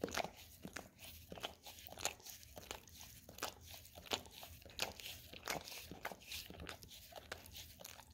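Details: Peanut butter on an Orapup tongue-cleaning brush being licked by a Golden Retriever indoors: bright, crunchy scraping strokes and smacking clicks, repeated about every second or faster, fairly irregular.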